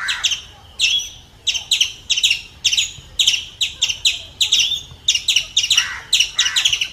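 An Indian palm squirrel gives sharp, high chips in rapid, rhythmic bursts.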